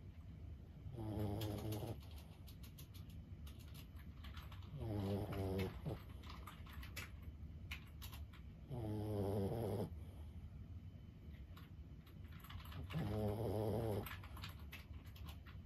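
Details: Steady sleep snoring from a 15-year-old Boston Terrier named Lulu: four buzzy, vibrating snore breaths roughly every four seconds, each lasting about a second, with soft clicking sounds in the quiet room between.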